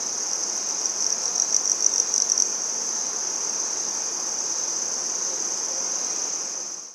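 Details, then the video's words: Red-headed bush cricket (handsome trig) recorded at close range in Maynard, Massachusetts, 14 September 2019: a sustained high-pitched trill, briefly broken into quick pulses near the start, then running on as one unbroken ringing tone. "Handsome Trig Singing"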